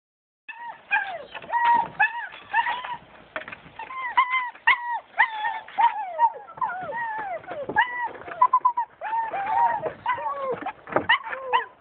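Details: German Shepherd puppies born 20 September 2011 whine and yelp together in a steady chorus of high, arching squeals.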